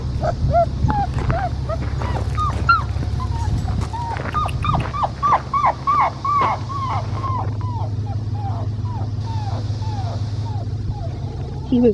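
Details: Blue merle male Australian Shepherd puppy crying after being disturbed while nursing: a long series of short high whimpers repeated about three per second, fading toward the end, with soft background music.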